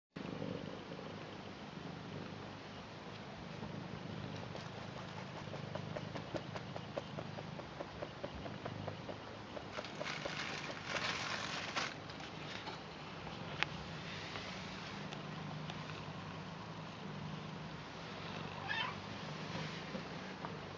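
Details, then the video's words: Garfield, a British Shorthair cat, purring while welcoming its grandad: a steady low rumbling drone throughout, with scattered rustles and brief broadband handling noise around the middle. "Garfield British Shorthair Cat Purr Blue Welcome And Loves Their Grandad"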